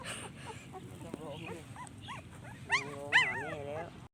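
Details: Puppy crying for its mother: thin, wavering whines that rise and fall, several short ones followed by two louder, drawn-out cries near the end, while a person speaks softly and soothingly nearby.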